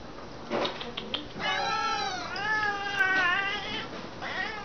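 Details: Several house cats indoors, made to sit while waiting for dinner. Long, drawn-out meows waver up and down in pitch after a short opening cry, while a woman tells them to sit.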